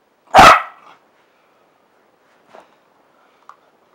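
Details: Single loud, harsh bark from Fergus, a Parson Russell Terrier playing, dated 7/1/15. The bark falls away quickly into near quiet, with only a couple of faint soft knocks afterward.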